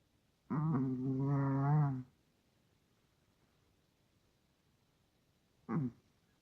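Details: Sleeping Russian Toy Terrier snoring: one long, droning, buzzy breath of about one and a half seconds with a wavering tone, then silence and a short snort near the end.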